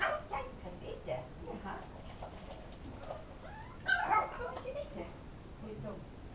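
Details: Welsh Corgi puppies whine in high, wavering bursts, impatient while their food is being prepared.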